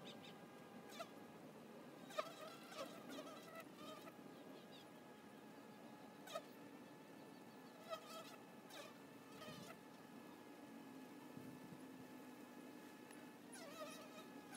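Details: Continuous low hum of many honey bees at their hive box entrance, punctuated by short louder buzzing passes of single bees flying near.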